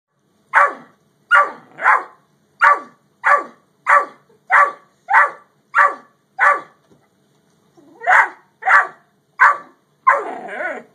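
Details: Two dogs, a Great Dane and a Yellow Lab, with one barking in a steady run of about fifteen sharp, loud barks, each just under a second apart, with a short pause before the final four.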